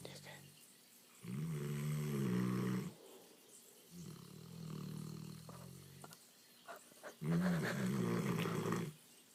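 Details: English Mastiff snoring while asleep: three long, deep rumbling snores, each lasting about a second and a half and spaced roughly three seconds apart, with softer raspy breathing in between.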